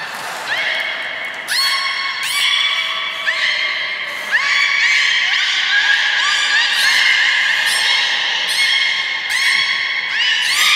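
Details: Captive beluga at Port of Nagoya Public Aquarium on 16 March 2019, eating fish and then playing; loud, nasal, harmonic squawks and drawn-out tones, some sliding slightly, in irregular overlapping bursts throughout.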